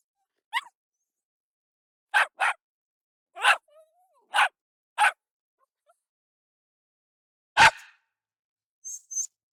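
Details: Jack Russell Terrier barking in sharp bursts, including two quick doubles and a single louder, deeper bark near the end, followed by two faint high yips.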